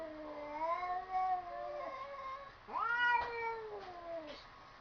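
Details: Indoor cats that seem to be talking: long, wavering meows with rich harmonics, one sliding down, then a sharply rising meow that bends and fades, over a low room hiss.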